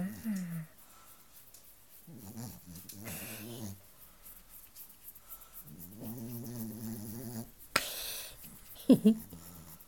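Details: Two Chihuahuas meeting for the first time indoors; low harmonic growls rise and fall in bursts around two, three and six seconds, with a brief noisy scuffle and a sharp yelp near the end, plus some human voice.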